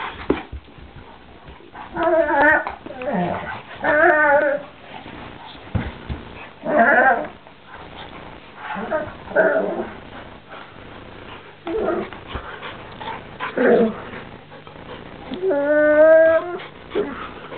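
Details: Two dogs, a Doberman named Ike and a Labrador named Cibo, fighting indoors: drawn-out harmonic moaning whines that rise and fall at about 2, 4, 7 and 16 seconds, with scuffling and a person talking to them in between.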